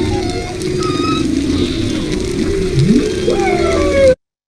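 Several humpback whales call at once, their moans, upsweeps and whistles overlapping in a dense tangle.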